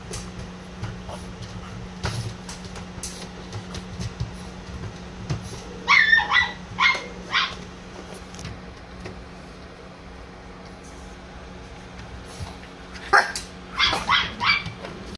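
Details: Male brindle French Bulldog, born April 2021, giving short, sharp high yips in two quick clusters separated by quieter stretches, over a steady low electrical hum and faint background rustling.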